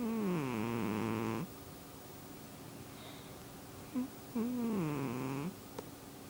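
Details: Snoring from a sleeping pet cat: two rasping, tonal breaths that dip and rise in pitch, roughly three seconds apart, with a soft snort between them and a quiet room hum.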